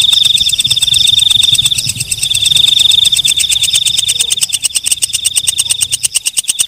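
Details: Shrill, continuous high buzzing from a walang kecek katydid, laced with fast ticks. The ticks grow sharper and more separate toward the end, as a clicking rattle of roughly four pulses per second.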